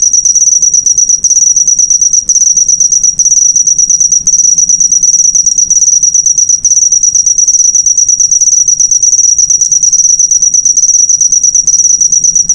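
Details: Cricket recording meant as master audio for cage birds, an unbroken, intense high trill of quick pulses with a few short gaps about every second, no other sounds clearly heard.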